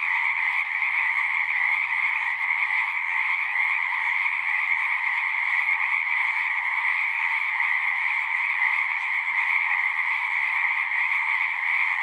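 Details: Frogs in full chorus, many voices merging into a steady, dense trilling drone with bright high and lower tones, unbroken for the whole stretch, with no other sounds standing out.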